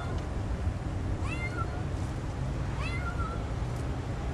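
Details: Stray kitten found in a back yard, being offered food, gives two high, rising-then-falling meows about a second and a half apart over steady low background rumble.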